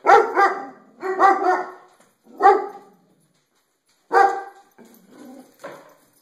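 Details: Domestic dog barking at itself reflected in skylights, in a room; sharp, rough barks in quick pairs and singles separated by pauses, ending with a few softer, lower yips.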